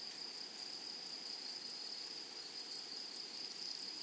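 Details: Meadow grasshoppers produce a continuous, piercing high buzz with a thin overtone ringing above. The loudness stays level throughout the short stretch, and no other creatures or voices intrude.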